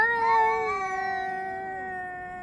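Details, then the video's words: Cats yowling at each other, filmed on 3 Av 5785 between 6:01 and 6:04 summer time: one long, drawn-out, harmonic wail that holds steady, then slowly sinks and fades over two and a half seconds. "חתולים מייללים זה לזה Cats are yowling at each other"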